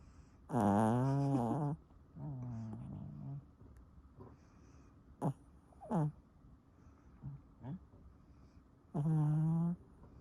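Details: Pomeranian Sunoama snoring: one loud raspy snore, a softer groaning breath, then several brief snorts and clicks before another loud rattling inhale near the end.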